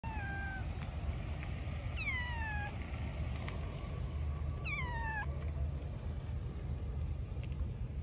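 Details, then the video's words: Cat meowing: three drawn-out, falling meows near the start, middle and five seconds in, each sliding downward in pitch, over a steady low rumble like passing traffic or an engine. "Cat Meowing"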